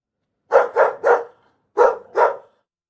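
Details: Dog barking in two bursts, three quick sharp barks, a brief pause, then two more, each bark short and punchy against a quiet background.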